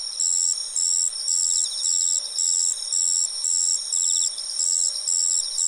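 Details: Madara-suzu ground cricket singing in autumn: high, buzzy chirps repeated about twice per second in a steady pulsing rhythm, with a softer, lower insect trill rising and fading twice in the background.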